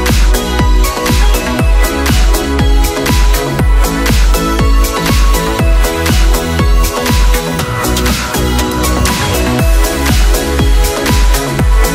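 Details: Loud electronic dance music with a pounding regular beat, deep bass and layered synthesizers fills the whole stretch, and no animal can be heard.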